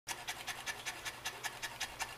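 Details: Female pet Saint Bernard that pants every day, even more in summer heat: fast, breathy, rhythmic panting, about eleven airy bursts in just over two seconds, steady and even.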